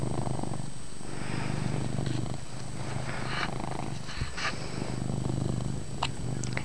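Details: Loud purring from Chase, a pet cat, recorded indoors in poor light; continuous low rumbling with regular breathing-paced swells, plus faint rustling and small clicks.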